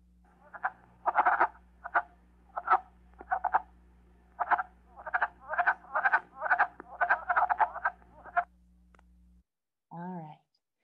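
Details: Wood frogs from Michigan give short, hoarse, clucking croaks in quick bursts in spring, like ducks quacking, a chuck-chuck sound or a DJ skipping a record.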